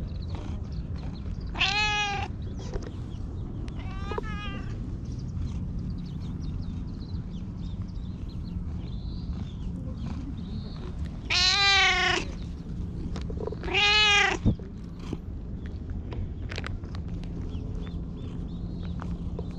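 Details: Pitch-black stray cat perched on a lap, pleading in cat talk after following the filmer, captured with a GoPro HERO8: two meows early on, then two louder, longer meows near the middle, separated by stretches of soft handling noise.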